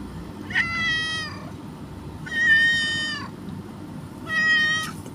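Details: Stray mother cat with her two kittens being fed; three loud, clear, harmonic meows, each about a second long, steady then dipping slightly, spaced roughly two seconds apart over a low background hum.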